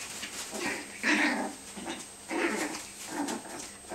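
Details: Yorkie and Tibetan Terrier puppies keep up a game of biting in a bean bag. Loud, rough puppy growls with squeaky upper tones swell and fade in three or four bursts, nearly continuous over the clip.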